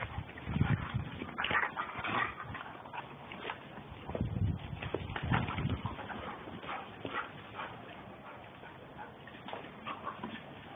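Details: Two German Shepherds, Captain and Samantha, playing hard together; low rough growling bursts and scuffling come in clusters over the first half, then fade into softer, scattered noises.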